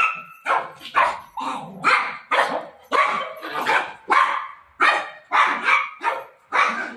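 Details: Barking golden retriever desperate to find its mom during play: sharp, evenly spaced barks about twice a second, each a bright yelping burst, continuing steadily for the whole stretch.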